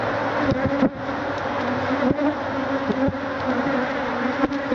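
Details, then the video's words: Killer bees, Africanized honey bees in their thousands, attack a man trying to take their hive; an even, dense humming drone holds throughout, with occasional sharp knocks cutting through. "Man attacked by killer bees"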